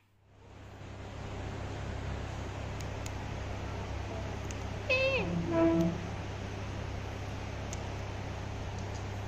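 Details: Talkative female black Persian cat Becky, tortoiseshell with gold highlights, meowing back at her owner for not being let out of the room: one clear drawn-out meow that bends downward, followed by a brief second note, over a steady low indoor hum.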